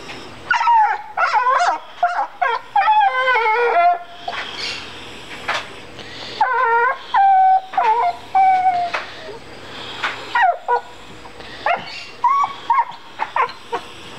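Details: A female dog cries after finding a rock in the yard, which she does every time she finds one. Long series of high, harmonic whines and yelps, some rising and falling, in bursts separated by short pauses.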